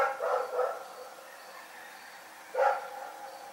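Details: At night the dog Rex gives two quick barks in succession, then a single louder bark after a pause of about two seconds.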